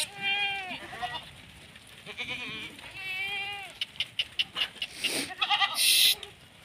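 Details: Male Kota goat at a Rajasthan farm: two long, wavering bleats with a strong tremolo, a softer bleat between them, then sharp clattering knocks and a brief burst of noise.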